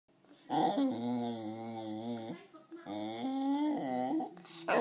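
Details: One hungry Wire Fox Terrier demanding food indoors: two long, loud, wavering whine-howls, each about two seconds with rich harmonics, rising slightly and dipping at the ends, separated by a short pause.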